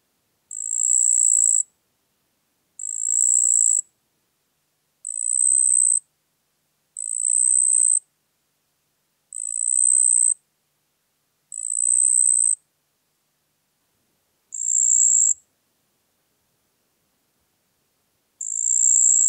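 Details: Song of a marsh cricket (Pteronemobius heydenii) from Puntigam, Austria, 4 June 2022: a series of eight short, shrill, buzzy trills of about a second each, repeated at steady intervals, one longer silence before the final burst.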